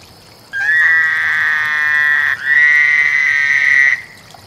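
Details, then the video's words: Frog calling during mating: a loud, steady, high-pitched buzzing trill held for about three and a half seconds, briefly dipping and breaking near the middle before carrying on and stopping abruptly, over faint background hiss. "Frog Lovefest"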